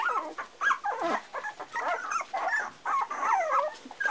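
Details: Several Parson Russell Terrier pups aged four weeks keep up continuous squeaky whining and grumbling yelps, wavering notes packed closely together with barely a pause.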